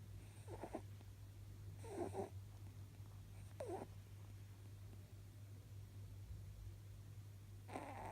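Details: Snoring from an almost eleven-year-old male pet rabbit taking a power nap: short husky, breathy bursts roughly every one and a half seconds, then a longer pause before another snore, over a constant low electrical hum.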